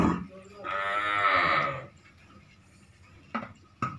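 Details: Purebred Red Sindhi dairy cow, female and in her second lactation, giving one drawn-out, richly harmonic moo lasting about a second during milking, followed by a few sharp knocks.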